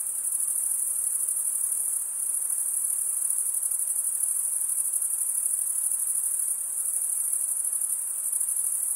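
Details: Night-time crickets in summer woodland, many insects blending into one bright, high, shimmering trill, steady in pitch, with slight dips in loudness around two seconds and six and a half seconds.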